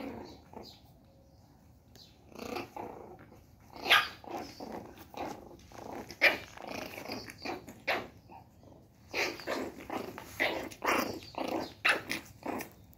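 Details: A 1-month-old female Shih Tzu puppy, angry, gives a run of tiny, squeaky growls and yips in bursts.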